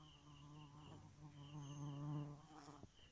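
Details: Nighttime bee giving a loud, low, harmonic buzz that grows stronger toward the middle and then drops away, with soft high pulsed chirps behind it.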